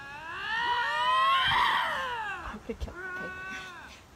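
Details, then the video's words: Two lynxes confronting each other, possibly in a territorial dispute, aggressive calling in place of fighting: a long, loud, wavering harmonic wail that swells and falls over about two seconds, then shorter quavering cries. A man talks excitedly. "Así son los extraños gritos de dos linces enfrentados"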